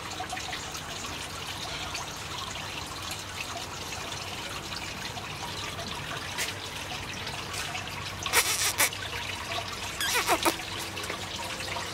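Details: Trickling, dribbling water noise with a few brief rustling bursts, and no animal calls.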